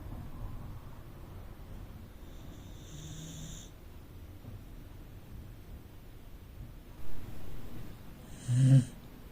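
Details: Rescued Corgi asleep in the living room, snoring softly: low, rumbling breaths in an uneven rhythm, with a couple of louder, sharper noises near the end.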